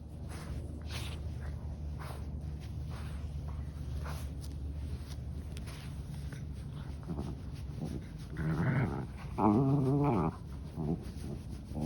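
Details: A 13-year-old senior dog with a heart murmur, said to be unable to help being vocal, gives low grumbling growl-whines, loudest near the end, over steady background hum.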